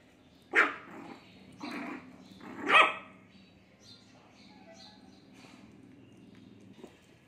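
A Shih Tzu puppy gives a few high, sharp barks with short pauses between them.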